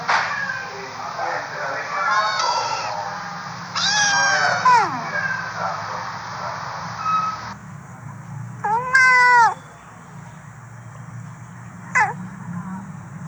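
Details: Cats and kittens meowing: a few separate meows, one rising then falling at about four seconds, a louder drawn-out one near nine seconds and a short one near twelve, with a quiet voice talking in the background.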